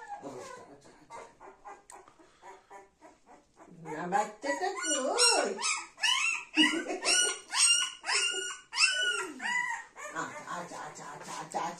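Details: Golden Retriever puppy Dona with her mother Anna and grandmother, pet dogs: high, squeaky whines and yelps, rising and falling, tumbling over each other in quick bursts, with a person talking softly and music in the background.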